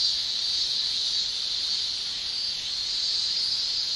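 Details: Summer cicadas shrilling in Japan: an even, intense high buzzing hiss that stays nearly level, softening slightly midway before swelling again.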